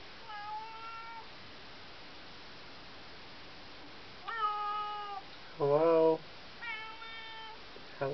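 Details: Smudge, a cat, meowing under a bedroom door at night to greet its owner; long level meows alternate with a louder, lower, harsher call, four or five calls in all, with faint room hiss.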